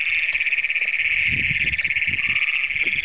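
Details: Several Great Plains toads trilling together at night in Brown County, Minnesota, June 2010, the first recorded there: a loud continuous shrill buzzing trill dominates, while a man's low voice murmurs underneath.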